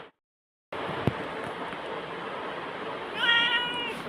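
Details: Pet black cat talking with and answering its owner indoors; after a long stretch of steady background hiss, one harmonic-rich meow sounds near the end, while the owner speaks in Tamil around it offering prawns.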